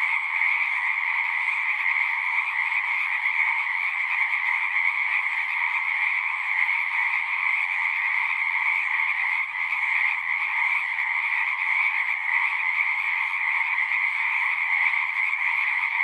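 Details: A pond in a horse pasture, where a large chorus of frogs recorded with a Zoom 6 keeps up sixteen seconds of constant, overlapping high trilling at even strength, with faint low sounds underneath.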